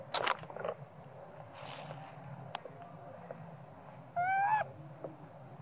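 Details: Small young monkey crying because it wants its mother to nurse it: one clear, high, whistled wail rising slightly over half a second late on, after scattered clicks and taps against a low steady hum.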